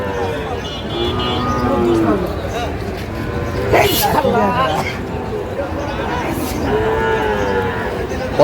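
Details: Sahiwal bull calf at a busy cattle market in Comilla, Bangladesh, 25 April 2025: drawn-out, low, harmonic moos rise and fall under constant crowd chatter and shouted bargaining, with vehicle noise in the background.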